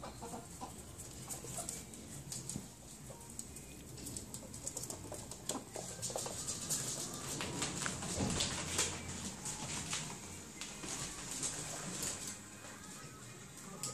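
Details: Two pet ferrets, Gizmo and Balou, during playtime in 2015: soft, quick clucking chuckles and scuffling clicks come in irregular bursts, roughly two or three per second, building in the middle and easing off toward the end.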